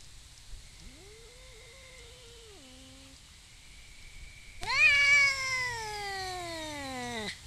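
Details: Wild feral cats, two males, sorting out territory and personal space during courtship before mating, filmed with a trail camera: a low wavering growl, then a loud drawn-out yowl that slides downward for about three seconds.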